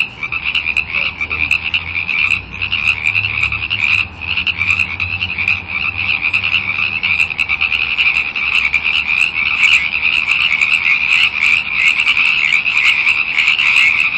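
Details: A frenzied frog chorus, a loud unbroken high-pitched trill with countless overlapping short calls, intensity building steadily; faint low hum early on.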